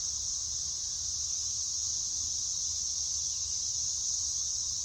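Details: Periodical cicadas at a local park overlooking a lake in North Carolina, 2024, fill the air with a loud, steady, high, hissing buzz that never lets up.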